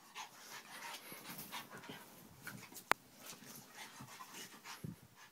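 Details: Dogs, Vinnie among them, play fighting at home indoors; rapid breathy huffs and pants come in bursts, with a single sharp click midway and a low thump near the end.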